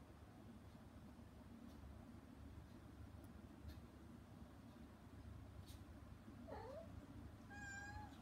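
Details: A mother house cat, put outside the room where her kittens are having weaning food, calls toward them with a short bending meow followed by a higher, thinner cry, after several quiet seconds of low background hum.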